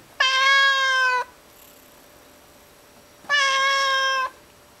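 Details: Domestic cat indoors, calling for a bug on the ceiling: two sustained, level, rich meows about one second long, separated by a two-second pause of quiet.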